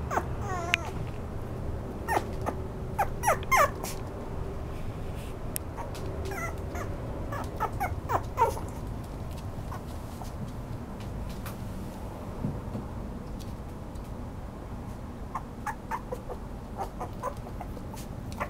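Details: Toy poodle giving high, thin whimpers and short whines with clear overtones, in quick clusters through the first nine seconds, then a few more late on, over a steady low indoor hum.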